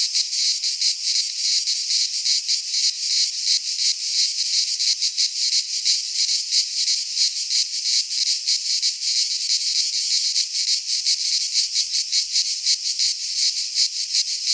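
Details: Cicadas in a pine forest in Greece during midsummer give a constant high-pitched whirring chorus, pulsing rapidly at about three beats per second, unbroken and with no other sounds.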